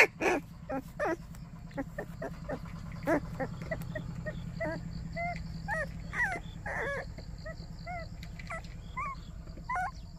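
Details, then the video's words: Quiet whimpering and soft yips from a white baekgu puppy at a morning greeting in Cheongdo, Korea: scattered short, curved whines spread across ten seconds, over a steady low rumbling hum. "백구 강아지 아침 인사드립니다~~White puppy says good morning."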